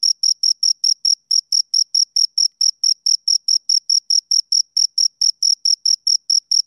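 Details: Crickets, two of them, producing crisp high-pitched chirps repeated a little over twice a second in an even, metronome-like rhythm, with no background noise.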